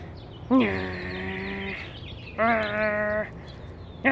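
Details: A rescued Australian Shepherd mix named Elyot greets his owner with gusto from inside a 1989 Jeep Wrangler YJ. He gives two long, steady, moaning tones about a second apart, with soft background rumble between them.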